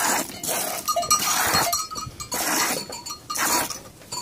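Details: Two domestic goats being milked, their milk meant for bottle-feeding an orphaned lamb. Short tonal bleats break through steady clinks, splashes and scraping handling noise.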